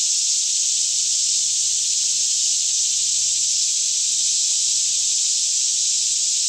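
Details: Many cicadas calling together in a Kentucky forest near Franklin at about 10am, calm air, stereo capture on a Canon 5D Mk2; an even, high sizzling drone fills the whole stretch without rhythm or breaks.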